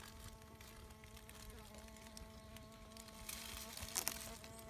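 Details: Bee fly, Bombylius major, probing sand: a steady low droning hum with evenly stacked tones, holding level throughout, with a brief rustling burst of noise near the end.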